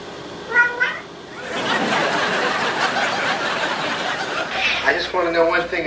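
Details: Domestic cat 'talking': a short, bright meow near the start, then loud human laughter and chatter, and a wavering, stretched meow at the end.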